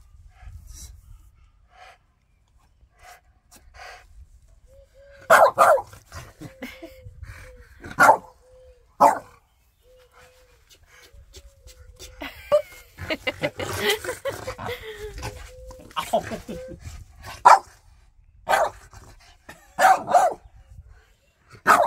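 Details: French Bulldog protesting to its owner over his shoes, giving scattered sharp barks and grumbling complaints spread through the scene, plus a steady thin whine-like tone midway, under human laughter and exclamations.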